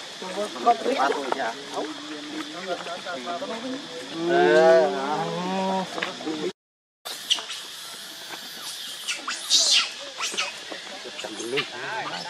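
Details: Baby monkey named Leo Rainbow crying and begging its mother for milk; a drawn-out harmonic wail rises and falls near mid-clip amid shorter wavering cries, sharp high squeaks and a steady insect-like hiss.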